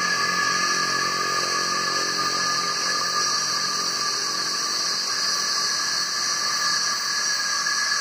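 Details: A chorus of cicadas invading trees, males calling to draw females to mate. The sound is a dense, piercing buzz, even and sustained, with a faint low humming underneath.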